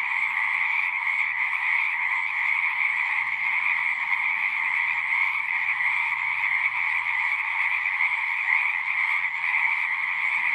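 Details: Large frog chorus, many voices merged into a steady, buzzy, rippling trill that never pauses, accompanied by soft low-pitched murmuring in the background.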